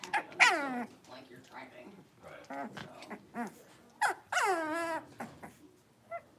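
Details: Five Blenheim Cavalier King Charles Spaniel puppies, born around New Year's, play indoors in their pen: a sharp high yelp opens, followed by small grunting yips and then a longer quavering whine-bark, with quiet gaps between.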